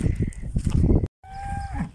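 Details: Black cows in a village moo at a person the way they moo at grandpa: a low, drawn-out moo, a brief silent break, then a steadier tonal moo that holds its pitch before fading.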